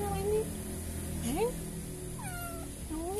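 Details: Kitten found behind a door, crying in fear: short rising meows, several in a row, each under half a second, over a low hum, with a woman speaking softly nearby.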